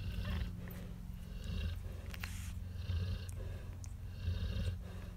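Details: Nursing Cane Corso puppy snores with deep, raspy pulses about every second and a half, a faint steady low drone beneath, and occasional sharp clicks and rustling from movement.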